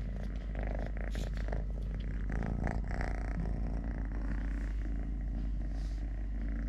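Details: Three-legged cat Totoshka purrs continuously, a deep, even rumble that persists through the clip, with brief rustles and taps from play or food and a faint voice in the background.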